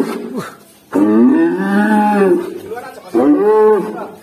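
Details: A black cow gives two drawn-out, tonal moos that rise and then fall, with a short pause between them.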